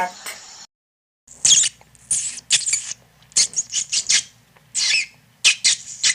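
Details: Rat squeaking in a rapid string of short, shrill, high-pitched bursts separated by brief gaps, after a short opening stretch of lower tonal sound and a moment of silence.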